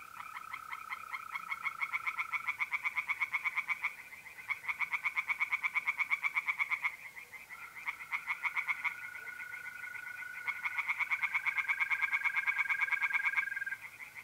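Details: Tree frogs singing in a pond on an April night in north-east Italy: rapid, harsh pulsed croaks in long bursts with short pauses, over the steady high trill of mole crickets.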